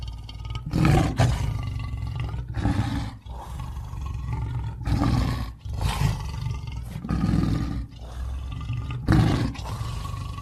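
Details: Lion roaring in deep, powerful grunting bursts repeated roughly every two seconds, heavy low rumble dominating, each burst rising quickly and fading.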